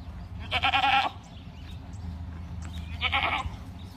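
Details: Two clear, loud bleats from Boer goats raised on a farm. Each bleat is a harsh, quavering cry of about half a second, separated by a pause of roughly two seconds, with low background hum throughout.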